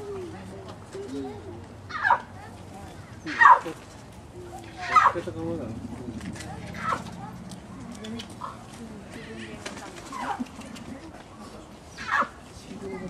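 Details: Two seven-month-old snow leopard cubs, Yamato (male) and Yukko (female), at Sapporo Maruyama Zoo, Japan, filmed 13 December 2009, calls turning into an "a-o". Short, sharp, strained calls every two to three seconds over visitors' murmuring.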